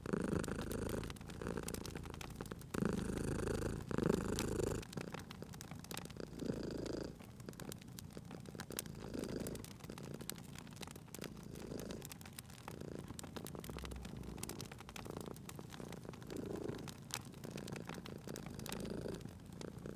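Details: Cat purring by a crackling fireplace, the deep steady rumble loudest early on and then softer, rising and falling with each breath under dense snapping fire crackles.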